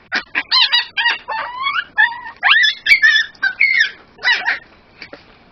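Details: A 9-week-old, 2 lb male Miniature Pinscher puppy cries in high, wavering squeals, protesting as his harness is pulled off over his head. He fusses, making sounds that range from snarling to crying.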